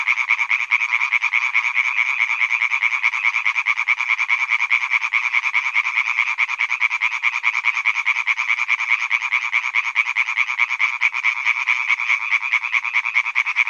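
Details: Male European tree frogs croaking in a pond at Hyby Fælled: a dense, unbroken chorus of fast, rattling croaks pulsing several times a second, overlapping voices forming a steady nasal buzz throughout, with no other sounds.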